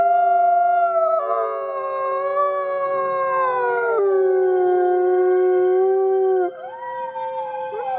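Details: Thirty-three gray wolves at a wolf conservation center in South Salem, New York, howl together in long, overlapping, sustained tones that slide and waver in pitch.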